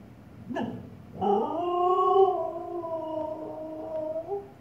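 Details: Siberian Husky named Miss Bella vocalizing at her own reflection in a fireplace indoors: a short sharp bark, then a long, steady, mid-pitched harmonic howl that holds level for about three seconds before a slight upward lift.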